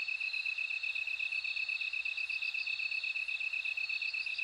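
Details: Bell cricket chorus: a steady, high pulsed ringing tone that repeats about 160 times a minute, with a fainter, even higher shimmering band above it. No other sounds intrude.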